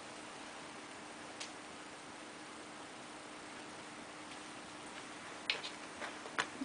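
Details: Quiet indoor room hum broken by a few faint clicks and taps, with no animal calls.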